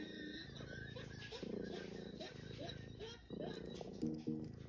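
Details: British Shorthair cat (Felis catus), meow: asking for affection.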